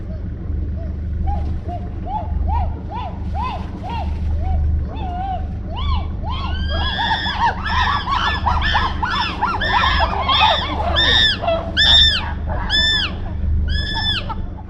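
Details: Several chimpanzees, seen from a sailboat on the River Gambia, scream in a chorus of arched hoots that climb steadily higher and louder over a low engine hum.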